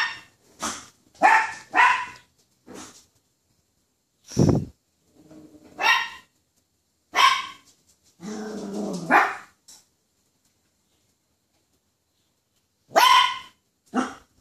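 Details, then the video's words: Poodle afraid of a toy poodle barks repeatedly in irregular bursts, some doubled, mixed with a low thump and a brief growly stretch, then a pause before two final barks. "a poodle scared over a toy poodle"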